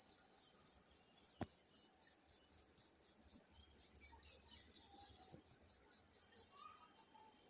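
A cricket chirps steadily, a high, buzzy pulse repeating about twice each second.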